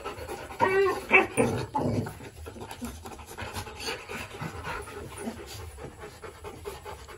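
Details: Two Rottweiler puppies, Bruno and Dora, in their kennel give a few high, wavering whimpers, then settle into quick, rough panting.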